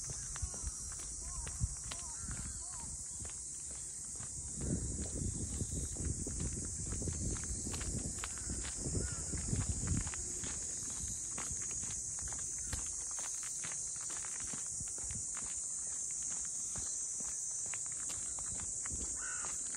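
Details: Cicadas calling around the traditional funaya boat houses of Ine, a port town north of Kyoto, Japan: a steady, high, hissing drone that never breaks, with footsteps, low rumbling and brief voices passing underneath.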